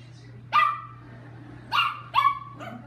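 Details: Lucky, a surviving Chihuahua, gives short high-pitched barks while playing: one sharp yip, a pause, then a quick pair of yaps with a trailing softer note, over a constant low electrical hum.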